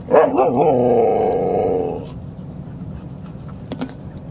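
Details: Dogs Rosy and Rocky playing at Seal Point Dog Park on the western side of San Francisco Bay, March 5, 2015: a wavering, drawn-out whining cry of about two seconds, then a quieter stretch with a few faint clicks.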